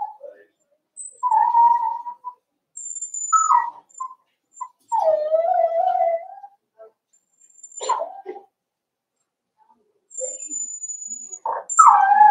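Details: Cavalier King Charles Spaniel puppies, four weeks old, socialized with older dogs in their pen. Repeated whimpers, some drawn out and wavering, others clipped, in irregular bursts with brief pauses, alongside thin, high, steady tones.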